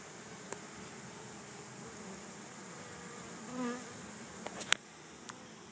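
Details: A swarm of 6000-8000 bees on the ground in a yard in Chico, California, 2013, gathering into an empty hive while bees fan their wings. A soft, steady low buzz is broken by a few sharp clicks.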